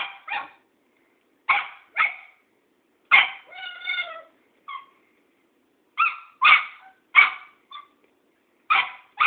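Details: A Cairn Terrier facing an old tomcat barks in bright, clipped yaps, often in pairs, with a brief drawn-out whining cry midway. Short silences separate the bursts.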